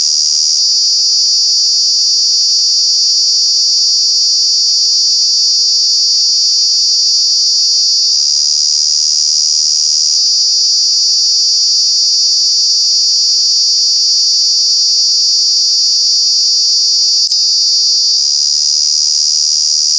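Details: Cicadas calling loudly in summer at Kanha National Park, a steady, piercing high-pitched drone held without pause, its tone shifting slightly a few times, with a faint lower hum beneath.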